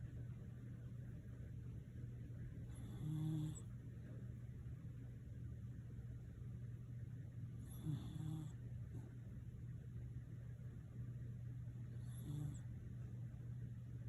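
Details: Nene the Shiba Inu snores gently: three brief, low, tonal snores spaced about four and a half seconds apart, over a continuous low mechanical hum.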